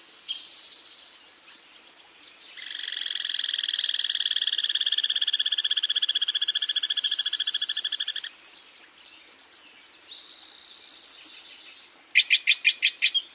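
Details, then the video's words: Squirrel screaming: a loud, harsh, high buzzing scream held for about six seconds, made of rapid even pulses, with shorter buzzy bursts before and after and a final string of quick sharp pulses. "scream like this squirrel"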